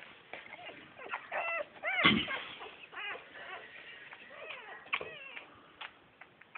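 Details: Several Bull Terrier puppies whimpering in thin arched cries that rise and fall, coming in clusters, with one louder scrape or bump partway through and a steady run of small yips afterwards.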